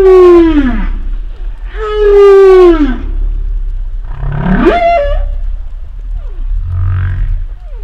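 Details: Humpback whale sounds: two descending moans, the second long and sustained, followed by a rising upsweep ending in a brief held note, then a low grunting pulse and faint short swoops, with underwater rumble in the background.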